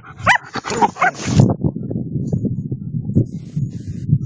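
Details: German Shepherds in the woods after tracking training give a few sharp barks within the first second and a half, then low rumbling panting and rustling carry on.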